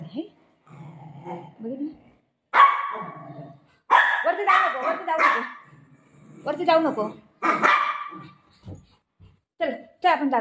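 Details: Golden retriever playing with its owner, running off with her dupatta; short harmonic barks and growly grumbles burst out between stretches of a woman's steady talking and coaxing indoors.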